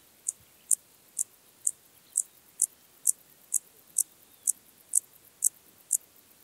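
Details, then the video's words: Intermediate Cross-backed Grasshopper from Zalahalap, Hungary, 18 July 2022, singing a steady series of short, very high ticking chirps, roughly two per second, against quiet background. "Dociostaurus brevicollis -- Östlicher Kreuzgrashüpfer -- Intermediate Cross-backed Grasshopper"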